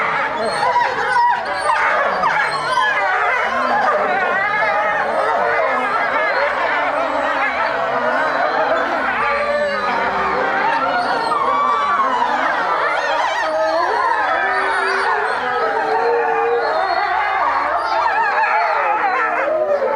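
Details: A pack of European wolves at Tama Zoological Park in Japan howling in chorus; many overlapping voices waver up and down continuously for twenty seconds, with yips and whine-like bends mixed into the dense chorus.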